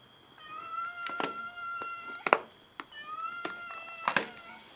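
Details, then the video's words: Domestic cats competing over food give two long, level meows, each broken by sharp clicks and bangs of scuffling, with a steady faint background hum. "Cats meow and fight each other over food"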